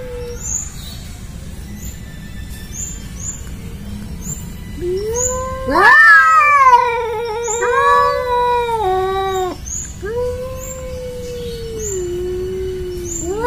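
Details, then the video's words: Angora cat and a village cat that never get along, facing off: long drawn-out harmonic yowls rising and falling, swelling to a loud wavering wail midway, then lower sustained moans, over faint high chirps and a steady low hum. "Suara Kucing Anggora"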